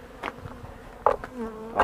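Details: Honey bees at a hive on 28 March 2013, colony starting to rear brood and fed soy flour as pollen; a passing bee's droning hum sliding down in pitch, broken by sharp taps and knocks.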